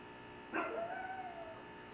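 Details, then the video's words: Female pug Cupcake 'lecturing' her sister on property and capitalism: one short whining vocalization with a bright onset, sliding down into a thin, wavering tone that fades over about a second, over a constant low hum. "Pug Rhetoric: Cupcake explains the merits of individual ownership and capitalism"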